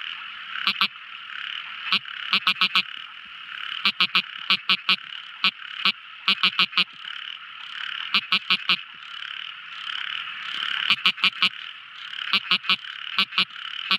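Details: Tiny frog calling at night: short sharp clicking croaks, single or in quick bursts of two to four, over a steady dense chorus of insects or other frogs.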